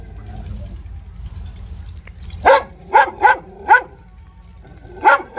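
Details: After a quiet opening with low rumble, a dog lets out four quick barks in a row, then a further bark near the end.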